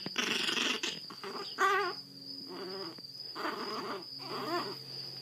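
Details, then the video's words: Zada, a blind 7-week-old female Chihuahua puppy with severe hydrocephalus, rescued from a Fort Worth, Texas shelter, grumbles grumpily in short raspy bursts with a few higher wavering whines between them; a steady high tone runs underneath. "Grumpy Chihuahua w/ Hydrocephalus"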